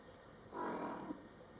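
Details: Mother cat Coco talking to her kittens, born July 22, 2012, during their first month of life; one drawn-out, steady mid-pitched meow of about half a second ending in a short clipped note, against a quiet indoor background.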